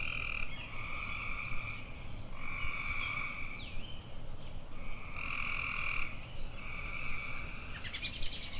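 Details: Repeated buzzy tree frog trills, each around a second long, alternate with short pauses. A sharp, brief high chirp, possibly from a bird, breaks in at the very end.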